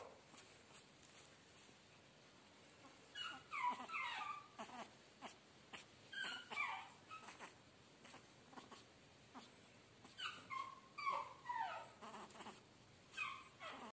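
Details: Chihuahua puppy at a pet shop in Guna, Madhya Pradesh, giving thin, high whimpers and squeaky yelps in short bursts, some rising then falling, grouped around seconds three to seven and ten to thirteen over a faint background hiss.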